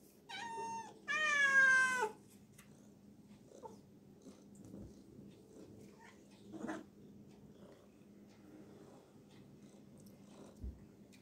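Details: Two loud, strained meows open the recording of Garfield, a cat dozing in a water tub, the second longer and rougher; then only faint rustles and small splashes in a quiet room.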